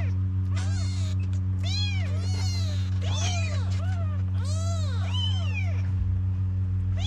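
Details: Several kittens in Morocco cry for their mother to come and nurse them. Overlapping, bowed meows come in quick succession, around eight in seven seconds, over a constant low hum.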